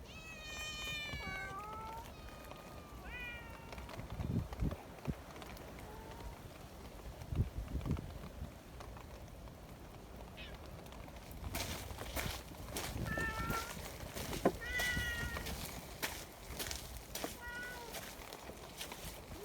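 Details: Friendly community cats in the mountains, fed right after a typhoon strong enough to turn an umbrella inside out: several clear, rising-then-falling meows open the clip, more follow in the second half, over low rumbling wind and footstep thuds.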